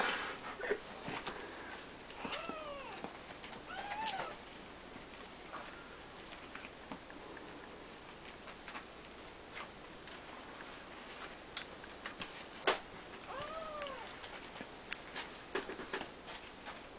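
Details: Siamese kittens, three weeks old, sharing a play-pen with their mom and grandfather, give short, high, arching mews in small clusters spaced a few seconds apart, with a long quiet stretch between, over light clicks and room noise.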